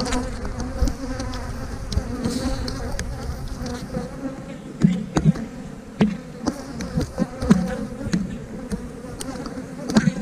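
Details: Steady droning hum of honey bees from an open hive while frames are handled for a split, layered with frequent sharp clicks and knocks from the woodenware.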